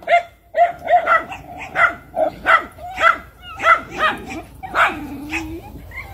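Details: Miniature Schnauzer giving a fast string of high, yappy barks, about two per second, ending with a short whiny sound.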